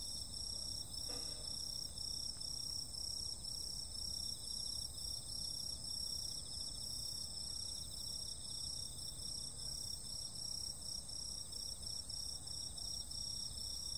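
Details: Insects on a summer night keep up an unbroken, high, ringing trill in several stacked bands. A soft brief knock sounds near the start, over a faint low hum.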